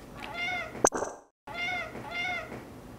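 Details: Talkative large male mixed-breed house cat, four years old and rescued from a breeding mill, chatting with its owner indoors: two drawn-out, wavering meows separated by a sharp knock and a brief silence.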